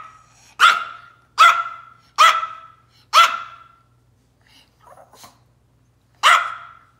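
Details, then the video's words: Pet Yorkie called Tiny Taylor in a tantrum: four rapid, bright barks close together, then a short lull with faint muffled grumbles before one last loud bark, over a low steady hum. "Our Little Yorkie, Tiny Taylor, Throws a Tiny Dog Tantrum"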